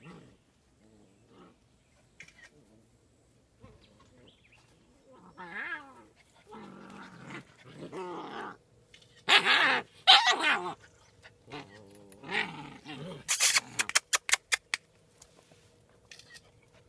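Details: Seven-week-old German Shepherd Dog puppies on their first time outside, playing: soft whimpers at first, then harmonic whiny yips and rough growls building into loud, noisy bursts, with a rapid run of sharp clicks near the end.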